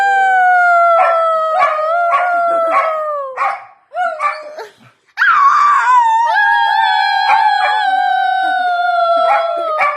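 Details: Dog singing with long, tonal, gently falling howls broken by short barking yelps, a near-silent pause midway, then a sudden strong howl that holds and drifts slightly downward.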